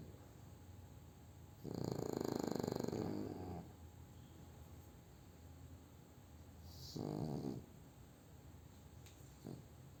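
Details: Post-meal nap of French Bulldog Júpiter: one long gravelly snore lasting about two seconds, a long quiet pause, then a shorter snuffling snore and a brief faint snort near the end.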